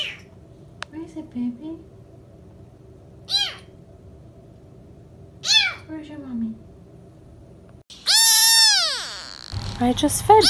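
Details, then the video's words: Kittens giving short high meows spaced a few seconds apart, then a loud, long wavering cry near the end, over a quiet background. "the kittens saying meow are so cute"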